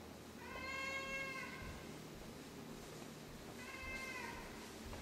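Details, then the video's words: Sixteen-year-old female cat meowing at night: two bright, drawn-out cries separated by a pause of about two seconds, heard against a noisy, hissing background. "Our 16-Yr-Old CAT and her Nightly Performance"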